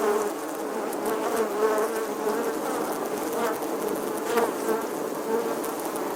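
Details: Bee in summer, a steady droning buzz with a hum near 450, wavering in pitch and swelling slightly at times, with faint clicks and rustles throughout.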